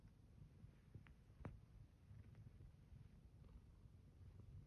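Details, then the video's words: Zeke, a pet cat, purring while kneading a blanket in bed in the morning; a soft, low, continuous rumbling purr with a few faint scratchy rustles from the kneading. "Zeke purring and kneading a blanket"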